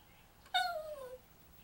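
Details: Yorkshire Terrier howling for its owner indoors: a single short, clear tonal howl starting high and sliding steadily downward over about half a second, with rich harmonics.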